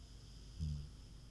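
A pig snores with one deep, rumbling breath that swells and fades within a moment.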